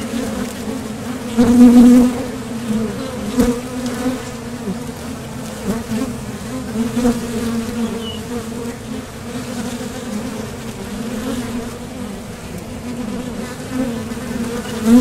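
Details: Steady droning hum of many honeybees at a top bar hive entrance, bees departing and landing as they fly out for nectar, with a loud close fly-by near the start.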